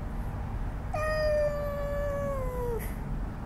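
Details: Stray cat being fed, seemingly upset by a kitten nearby, gives one long drawn-out meow that starts high and slowly falls over about two seconds, over steady low background rumble.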